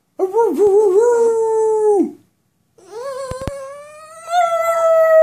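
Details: A dog vocalizing back at its owner: a quavering, wobbly whine for two seconds, a pause, then a longer steady rising moan that swells louder toward the end.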